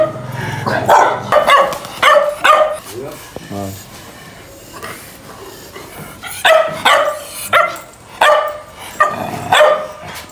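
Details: Loud barking from fighting dogs. Rapid clusters of harsh barks open and close the stretch, a brief voice and quieter moment sit between, then barking returns in separated bursts.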